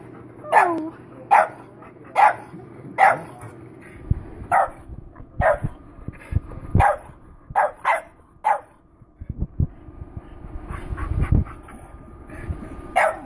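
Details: A male French Bulldog gives short, yelping barks and whines, protesting at not being allowed into the garage.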